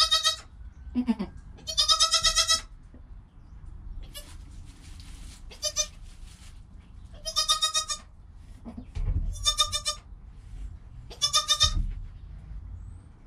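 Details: Newborn goat kid Joel, within an hour of birth beside his calm mother Penny, filmed on a GoPro: five loud, nasal, harmonic bleats, each about half a second long, some doubled, with soft rustling and low thumps between.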